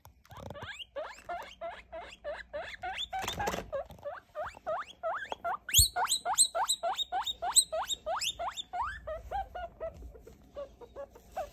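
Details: Baby guinea pig over three weeks old being weighed and sexed, calling in fast runs of short rising squeals, about three per second, with a louder, higher burst midway and a brief rustle of handling.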